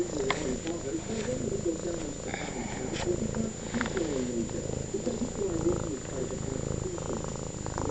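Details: Domestic cat purring very loudly, a continuous low rumbling throb that runs unbroken throughout, with a person's voice talking over it and occasional soft clicks.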